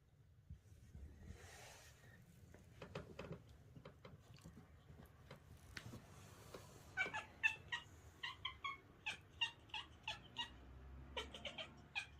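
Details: Young kitten making funny noises while playing fetch. Faint rustling comes first, then a steady series of short, bright squeaky chirps, roughly two a second, through the second half.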